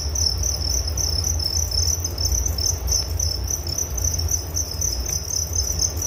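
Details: Cricket chorus for relaxation, dense high-pitched chirps pulsing rapidly and without pause, backed by faint low rumbling noise.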